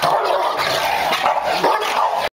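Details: An English Bulldog and a Golden Retriever fighting, two dogs that had not lived together long, making harsh, loud, continuous snarling and growling with rough bark-like bursts for about two seconds before it cuts off abruptly.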